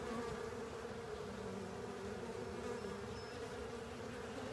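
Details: Honey bees and other insects cleaning up a honey filter: a steady, dense, low hum of many wings droning together without a break, with a faint higher whine drifting over it.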